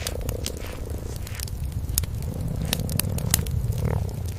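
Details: Mother cat and cream kitten cuddled by a hearth, grooming and dozing: a steady throbbing low purr runs underneath dense crackling and snapping from the burning fire, with soft licking and rustling sounds.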